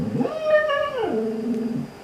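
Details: Indoor Siberian Husky howling in response to dog videos: one sustained, steady, clear tone that drops abruptly to a lower held note and fades.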